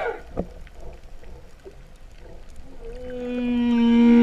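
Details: Humpback whale song underwater near Vava'u, Kingdom of Tonga, in September 2015, said to sound like mooing cows. After nearly three seconds of quiet water noise, a deep harmonic moan begins and steadily grows louder.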